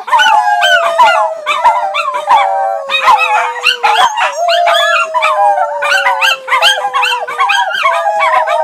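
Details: Several Miniature Schnauzers kept as family dogs howl in chorus, one long low tone held for seconds while other voices wobble, rise and break into yips and short whimpering cries overlapping throughout, loud and dense.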